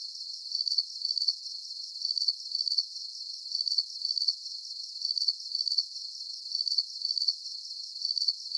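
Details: Crickets chirping in a soothing sleep recording, each burst a high, buzzy pulsed chirp doubled in quick succession, the pairs cycling evenly about every one and a half seconds against faint hiss.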